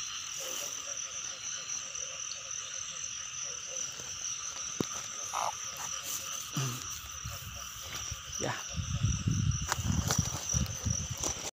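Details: Frogs during the rain season, recorded while catching frogs and baby frogs: rapid pulsed croaks repeat steadily under a continuous high-pitched chorus, with low rumbling handling noises and splashes growing louder toward the end.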